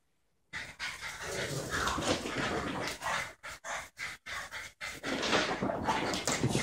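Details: A border terrier of 12 months and a roughly four-year-old French bulldog play-fighting inside; rapid, rough panting and gruff growls run almost continuously after a silent start, broken by a few short pauses.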